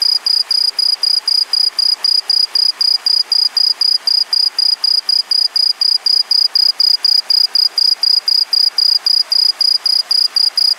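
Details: A green tree cricket, an introduced species in Japan, gives high, clear chirps, about four each second in a steady run.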